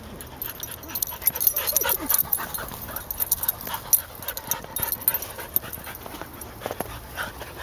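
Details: Three dogs, Elsi, Lola and Ratchet, romping in a large fenced field at the Baumholder dog park, Germany; a busy run of short yips, panting and rustling bursts that come steadily throughout, with bright clicking noises above.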